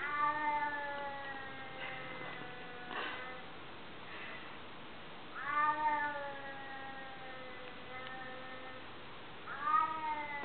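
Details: Chubby white cat uttering peculiar long meows, three drawn-out harmonic cries roughly every four to five seconds, each starting high and sliding gently downward, with faint background noise.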